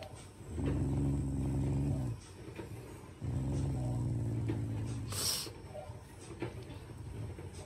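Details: Shiba Inu, a loving family pet, growling affectionately: two short, softer low growls of about a second and a half each, followed by quieter rustling and a brief sharp hiss-like noise.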